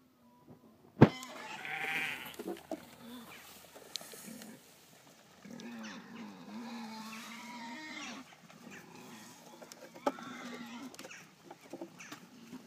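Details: Golden Guernsey goats at feeding time bleat in low, wavering, harmonic calls, one long drawn-out bleat in the middle and a shorter one near the end, with a sharp knock at the start and scattered rustling and clatter.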